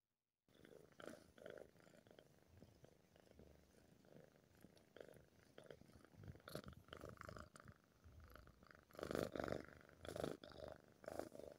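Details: Male tabby cat purring while his ears are touched: a steady low rumbling purr with rustling handling noise, growing louder in rough bursts toward the end.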